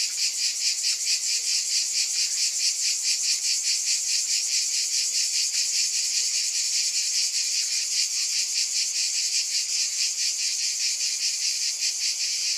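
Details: A steady wall of cicada buzz, high and hissing, beating in fast even pulses throughout.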